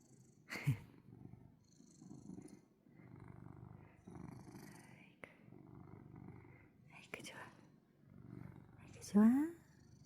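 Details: Pet cat purring while nuzzling its owner's hand: soft, low rumbling purr in regular breathing-paced pulses, with a woman's quiet Korean speech and a few sharp handling clicks.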